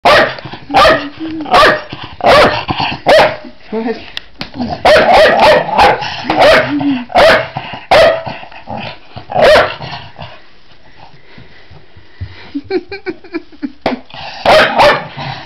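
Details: Male Jack Russell Terrier cross, pet dog humping its owner's leg, gives a series of about fifteen sharp, loud barks spaced irregularly through the first ten seconds. A quieter stretch of low grumbling sounds follows, then two more quick barks near the end.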